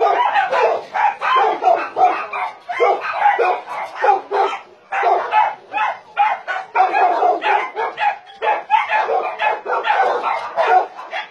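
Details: Around 150 dogs of breeds such as Doberman, Shar-Pei, Chow Chow and Golden Retriever kept at a Nonsan, South Korea meat farm cum puppy mill, January 2017; loud, deep-toned barks overlap into an unbroken, rhythmic din.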